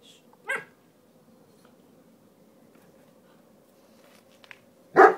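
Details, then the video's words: Puppies Oscar and Benson at noisy play indoors: one short sharp yip near the start, then a long quiet stretch with a low steady hum, and a louder bark at the end. "Noisy puppy play!"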